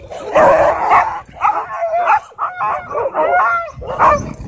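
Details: At a dog park after a run-in with a pitbull, a husky screams in a burst of harsh, strained cries, then thinner wavering whines with short breaks between them.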